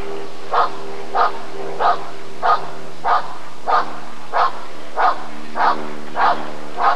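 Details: Barking Rottweiler recorded at the ADRK breed survey (Körung) in 1994: even, evenly spaced gruff barks, around ten of them, each a short burst roughly 0.6 seconds apart, with a faint steady hum beneath.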